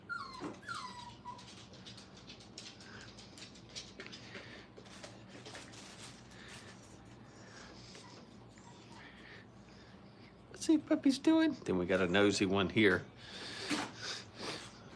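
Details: Brittany puppies during crate and tunnel training at a kennel: a short falling whine opens, followed by a long stretch of quiet background rustling, then a burst of rapid, high, harmonic whimpering yelps near the end.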